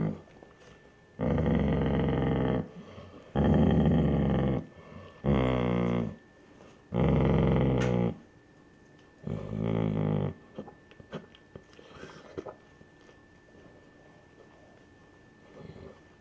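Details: Indoors, a Basset Hound mom growls while defending her pups from an older man. Five harsh rumbling growls come in quick succession. They then fade to faint clicks and quieter noises.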